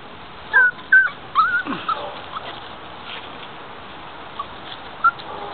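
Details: Five-week-old puppies in an outdoor pen in a front yard on a mild afternoon give a few thin, rising and falling whines early on, then mostly quiet hiss with one brief late yelp.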